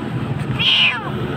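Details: Frightened Jakarta street kitten crying from a dark spot lets out one strong, high, drawn-out meow that bends downward at the end, with steady low urban rumble behind it.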